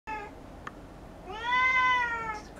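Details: House cat reacting to a fish-shaped toy that contains silvervine: a short meow, then a long, steady, drawn-out meow that rises slightly and fades, with a light tap in between.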